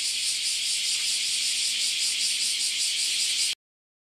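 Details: At a Japanese farm house during a cicada invasion, a loud high-pitched metallic buzz drones steadily for three and a half seconds, then cuts abruptly to silence.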